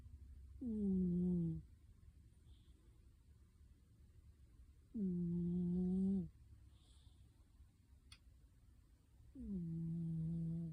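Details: A cat snoring softly while asleep under a kotatsu, heard faintly. Low, droning snores about a second long each start slightly higher and settle lower. They come every four to five seconds against near silence.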